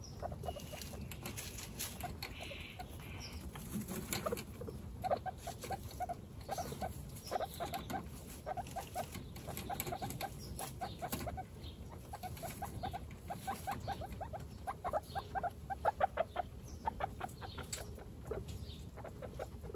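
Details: Pet guinea pigs, including one-week-old babies Snow, Pistachio and Pumpkin, in a household of 29. Soft, rapid pulsed chuts come in short trains through the middle and end, over a low, muffled rumble of movement.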